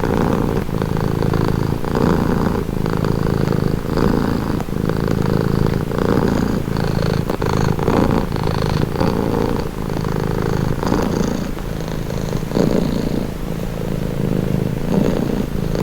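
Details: Cat purring up close, low throbbing hum rising and falling with slow breaths about every one to two seconds, steady and calm with nothing else audible.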